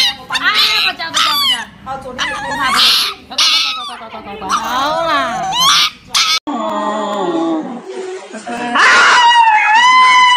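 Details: Dog howling and crying while getting an injection, drawn-out wavering wails that slide up and down, mixed with a person's soothing Chinese speech telling it not to be afraid.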